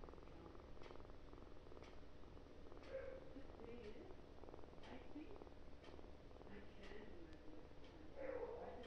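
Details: Kitten purring loudly, a low, steady rumble underneath; soft human voices murmur intermittently over it, with small clicks spaced through the recording.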